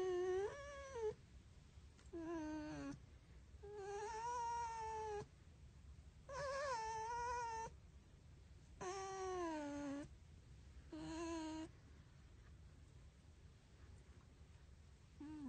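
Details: A red fox gives high, whining calls that rise and fall, repeated every couple of seconds, while being petted.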